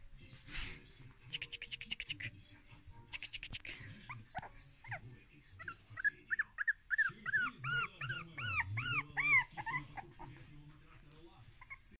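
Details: Jack Russell Terrier, a playful young male dog, giving a run of high, arched whining whimpers rising and falling in quick succession, preceded by scratchy rustling and soft thumps, with a low moan near the end.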